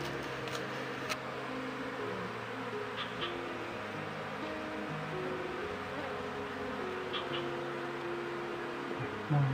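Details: Wild Asian honey bees (Apis cerana) being moved into a hive box, with the queen used to draw the colony. A steady, droning hum wavers in pitch throughout, with a few faint clicks and ticks above it.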